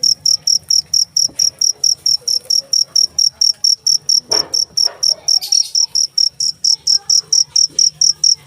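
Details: Cricket chirping in a steady run of sharp, high-pitched pulses, about four to five chirps per second with short even gaps, carrying on throughout; faint low rustles and brief scattered background noises underneath.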